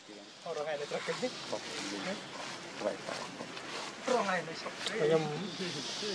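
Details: Baby monkey named Leo, hungry and begging its mother for milk, gives wavering high squealing cries in short bursts that bend up and down, with the loudest wails near the end; human voices run underneath throughout.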